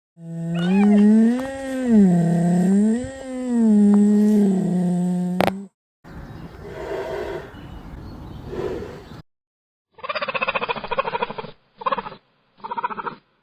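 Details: Cheetah vocalizing: a long, wavering, moaning tone that rises and falls for about five seconds, then harsh breathy rasps, then three short buzzy pulsed bursts separated by brief silences.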